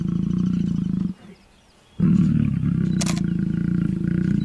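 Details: Lions mating at MalaMala, giving deep pulsed roars and growls, low and rumbling, pausing for about a second before resuming strongly; a brief click-like noise follows.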